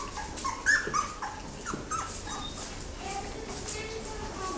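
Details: Thirteen yellow Labrador Retriever puppy littermates, just woken, give a few short high whimpering whines in the first two seconds. Quieter yips follow, with people talking nearby throughout.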